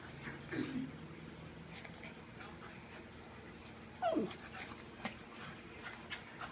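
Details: Dogs Looey and Butterball wrestling, a habit Butterball kept up for years; a short whiny yip opens the stretch, then a louder falling whimper-yelp comes around four seconds, with scuffling clicks and a low hum between.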